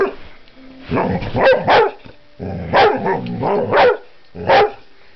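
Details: Vizsla named Delilah woofing in short bursts, low whining groans rising into several sharp barks, with a longer gap before a final bark.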